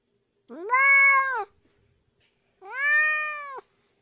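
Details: Domestic cat meowing twice, each meow about one second long, clear and harmonic with a slight rise then a level tone, separated by a short silence in a quiet setting.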